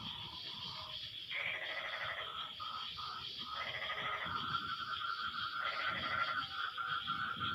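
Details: After rain, several frogs answer each other with bleating, buzzy harmonic calls lasting about a second, some higher and some lower, overlapping above a constant high-pitched drone and faint low noise.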